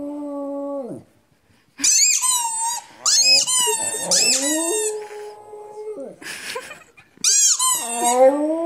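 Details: Pet dog Rudi howls indoors: a steady mid-pitched tone that drops away, a pause, then bursts of shrill squealing howls falling in pitch, a long held lower note, and a final climbing squeal.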